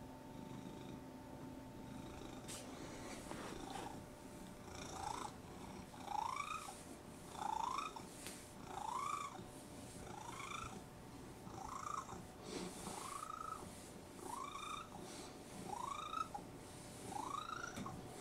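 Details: Pet cat that squeaks when it purrs: a low rumbling purr under a series of short rising squeaks, roughly one every one and a half seconds, ten in total, with a steady electrical hum in the background.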